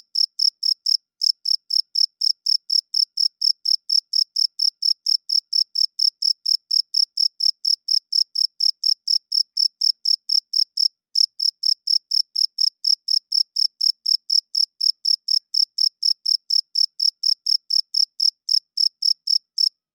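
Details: A cricket chirps loudly at night, the male rubbing its wings to attract a mate and defend territory; a long run of roughly eighty sharp, high-pitched chirps at about four per second, broken by two short pauses, in otherwise total quiet.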